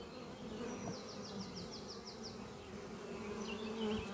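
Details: Dense, unbroken buzzing of many honey bees at the oak-chest hive Doppio under trees in spring, morning; a bird's fast stuttering trill of about eight notes rings out above the drone.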